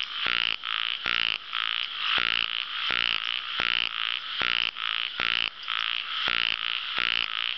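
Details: Ornamented pygmy frogs (Microhyla fissipes) give rapid, raspy pulsed calls, repeated in quick overlapping bursts.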